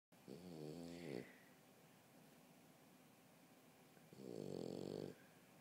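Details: French Bulldog sleeping on a couch, snoring indoors: two rough, harmonic snore breaths, one near the start and one about three seconds later, with quiet breathing between them.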